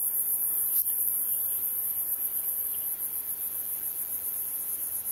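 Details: A male gladiator meadow katydid (Orchelimum gladiator) in the Oldman River valley, Lethbridge, Alberta, sings a thin, very high, continuous buzz with a faint pulsing texture.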